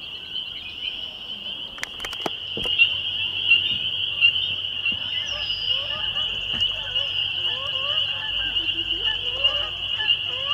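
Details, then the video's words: Evening in May 2021 at Laurel Creek Conservation Area, Waterloo, Canada: many spring peepers give a constant piercing chorus, with a couple of sharp knocks early on and faint bird calls in the background. "Spring Peepers May 2021 Waterloo ON Canada"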